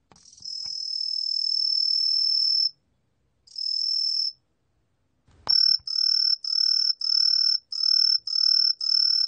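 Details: Green pine cricket (Truljalia hibinonis), from a 2020 National Institute of Biological Resources recording: a long, high, pure ringing trill, a shorter burst after a pause, then a run of seven short, evenly spaced chirps.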